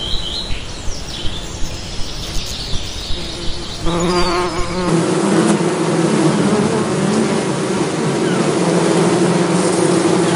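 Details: Bee drone rising after a few seconds of faint clicking, then a sustained full buzz with a steady low pitch and stacked overtones, slightly wavering in loudness.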